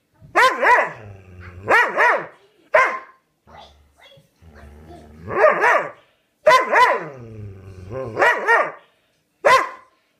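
A Dobermann 'talks' in wavering, drawn-out yowls and groans, each burst about a second long.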